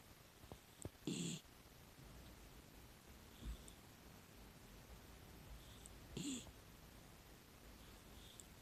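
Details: Sleeping female rescue miniature dachshund, six years old, snoring softly: two short, rough snores several seconds apart, with faint breathing sounds in a quiet background.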